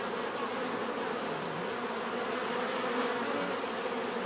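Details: Bees in nature giving a steady, dense buzzing hum of many wings, with layered drone bands in the low-mid range and a faint hiss above, even in loudness throughout.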